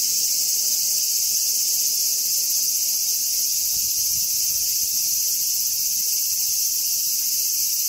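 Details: A Robust cicada (Hyalessa maculaticollis) sings a loud, steady, shrill buzzing drone that holds without a break.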